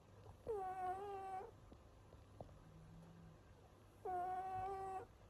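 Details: Loud snoring from a male house cat in a small room: two nasal, whistled tones, each lasting about a second and holding a steady pitch, separated by a quiet gap of roughly three seconds with faint clicks.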